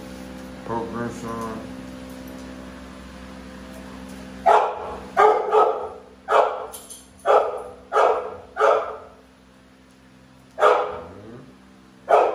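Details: American Bully pair Navi and Nyla barking: after a brief spoken phrase, a run of about eight gruff, sharp barks spaced roughly a second apart, then a pause and two more, over a constant low hum.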